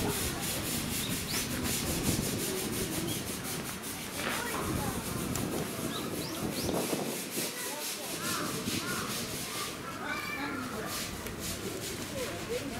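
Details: An Indian crested porcupine (Hystrix indica) at a zoo in Tokyo, April 2018, makes a dry, continuous rasping rustle as a threat display, an unusually intense display for this animal.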